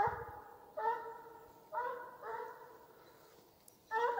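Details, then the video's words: Hunting chase (gon) in Ivanovo Oblast, Russian hound Bas voicing his 'farewell song': separate bays of under a second each, arriving in uneven bursts with short quiet gaps between. "прощальная песня гона🎵русская гончая Бас"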